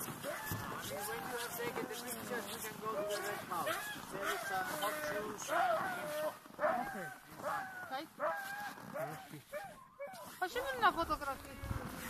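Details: Siberian Huskies at a husky farm in Rovaniemi, Finnish Lapland, in a dense chorus of overlapping howls and yips. Wavering tones rise and fall over a constant noisy background throughout, with a brief drop near the tenth second.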